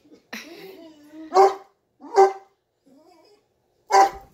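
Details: During play with a puppy sister, a Cane Corso gives a long whiny groan, then three loud, abrupt barks spaced about a second or more apart, with a brief quiet whine before the last one, inside a small room.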